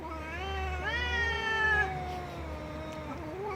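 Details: Cat meowing loudly with a long, drawn-out wavering meow that fades, then a short rising meow at the end, over a low steady hum.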